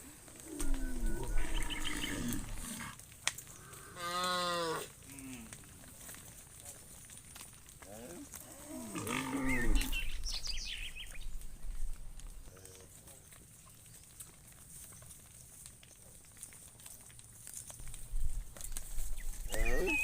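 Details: Cows roaming in the fields, one calling to its friend: long, drawn-out, deep harmonic moos near 1–5 seconds and again around 9–10 seconds, with quieter lowing between and steady low background rumble.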